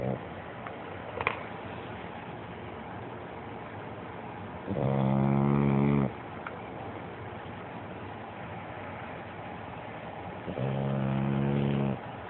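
A French bulldog snores in loud, buzzy rattling breaths about six seconds apart.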